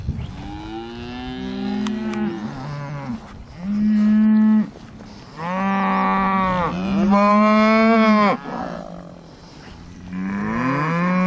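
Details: Hereford cattle out in the breeding pasture in summer 2015, with LBH 40W Ribstone 171A named: several long, loud, deep moos follow one another, some rising then falling in pitch, separated by short quiet gaps.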